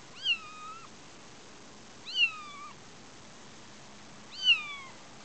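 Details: Kitten Sumi, a male, on the front-yard lawn for the first time, dislikes the tall grass between his toes and calls for his mother Shiye indoors: three high, thin mews about two seconds apart, each rising then falling, over steady background hiss.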